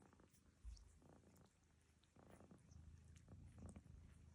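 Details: Domestic cat Lucy snoring indoors while another cat, Barfi, grooms her; a low steady rumble with short, rougher breathy bursts near 0.7, 1.2, 2.3 and 3.5 seconds.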